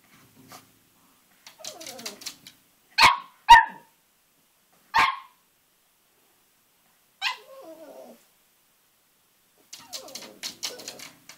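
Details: Cavalier King Charles Spaniel puppy, about three and a half months old, playing with its reflection in a mirror indoors: soft grumbling growls, then sharp high yips near three, three and a half, five and seven seconds, ending with more rumbling growls.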